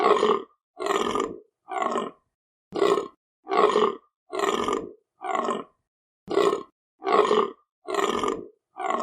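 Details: Deer calling with a series of harsh, roaring grunts. Each burst lasts about half a second and repeats roughly once per second with short silent gaps. The sound is throaty and broad with no other sounds.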